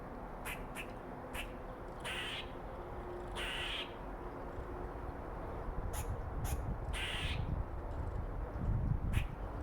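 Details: A female red squirrel gives harsh, raspy chatters and sharp clicks, telling off other squirrels and marking her territory.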